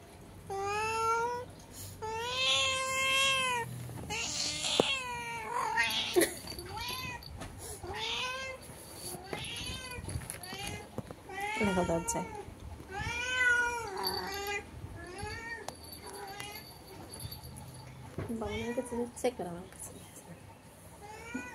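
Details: Domestic cat meowing through a window at another cat outside: a long run of drawn-out, wavering meows, some rising then falling, repeated every second or two, with brief faint talking and background music.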